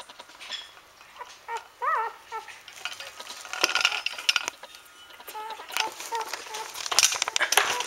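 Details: Four-day-old Standard Poodle puppies giving thin, high arched squeals that rise and fall near the two-second mark, then shorter soft squeaks later, amid frequent clicking and rustling handling noises.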